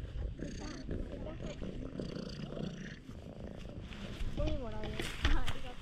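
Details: Stray cat rolling over with a funny face and acting affectionate, purring loudly: a low, steady rumbling purr running under the clip, with human speech over it and a few brief higher voiced sounds near the end.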